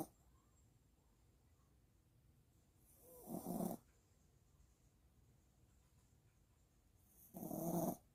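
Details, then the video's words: Sleeping Maltipoo puppy snoring after a walk: two harsh, rumbling snores with a bright hissy top, spaced about four seconds apart, with near silence and faint breathing between them. "산책 후 코고는 댕댕이"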